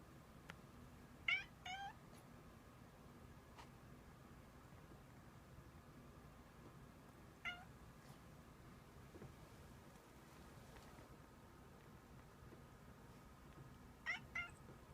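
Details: A cat howling like a puppy gives three brief harmonic cries spaced several seconds apart, each a short wavering call, over a quiet steady room hum.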